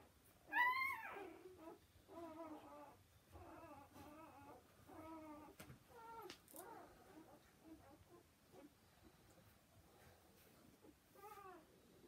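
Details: Newborn Gordon Setter puppies indoors: one sharp high squeal, then a series of short, evenly spaced, moaning cries with a wobbling pitch, fading into soft rustling and a last brief cry.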